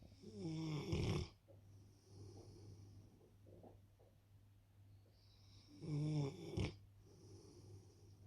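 A Rottweiler snores in deep, rattling breaths, with loud bursts about five seconds apart.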